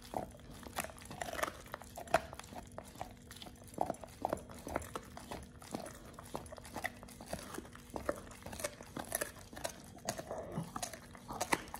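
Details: Oliang the Pit Bull working through a raw ostrich paw indoors; steady, sharp crunches and wet chomps follow one another through the clip, with a quiet electrical hum underneath.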